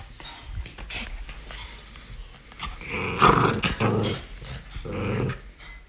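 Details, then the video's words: Miniature Pinscher puppy named Galu growling while playing indoors; low rumbling growls build into a louder harmonic burst of snarls after three seconds, with short thumps and handling noises in a small room. "강아지 미니핀 갈루의 장난!!"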